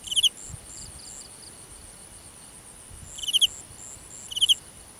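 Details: Cricket in a grass field at night, making a few sharp pulsed chirps separated by long pauses of over two seconds, with soft background insect trills between them.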